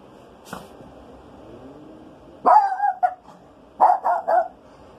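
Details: Rico, a Maltese dog indoors, searching the house for a skunk's smell on a rainy day; one faint yip, then a sharp bark followed a second later by a quick burst of three high yappy barks, with a low background hum.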